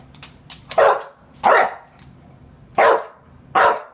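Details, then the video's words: Indoor English Bulldog asking to go out: four short, loud, hoarse barks at an uneven pace, about one every second, with a few faint clicks between. "BULLDOG RUE WANTS TO GO OUT !"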